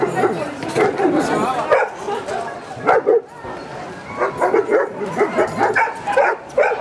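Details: German Shepherd in Gibraltar, 2013, giving short, sharp barks in uneven bursts, with people talking loudly close by throughout.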